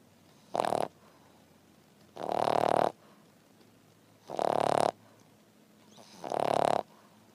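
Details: A French Bulldog resting after breakfast snores steadily in coarse, buzzing rasps, each under a second long and coming roughly every two seconds over a quiet background, some fuller than others.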